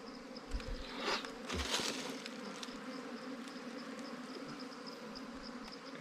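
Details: Honey-hunting scene at a wild bee comb holding honey and larvae; a steady humming drone runs throughout, overlaid by brief clicks, scrapes and handling noises.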